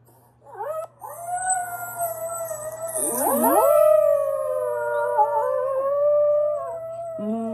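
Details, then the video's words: Pet dog holds a long wavering howl that overlaps with a second swooping howl rising from low pitch, the layered tones sustained for several seconds, with brief fragments at the start and end over a low hum. "My dog howls with himself"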